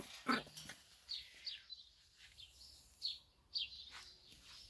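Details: Labrador Retriever puppies, one of a litter of seven, give a handful of short, high squeaky yelps and whines with pauses between, fairly faint.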